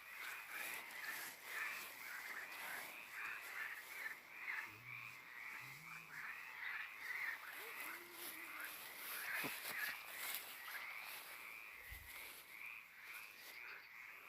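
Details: At night in a cemetery, a chorus of frogs and toads sings, many overlapping croaks repeated rapidly in a steady pulsing wash.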